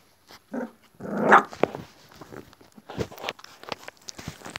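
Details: Young pit bull puppies, about 26 days old, from a Chilean American Pit Bull Terrier breeding line, heard indoors: a short rough growling bark rising in the middle, then light scuffling and faint squeaks.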